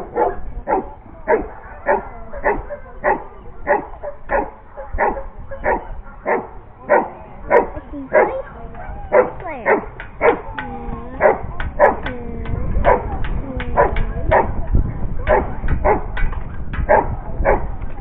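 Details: Giant Schnauzer barking in a steady series of deep, harmonic barks, roughly two each second, about thirty in total, with some later barks trailing into short wavering whines.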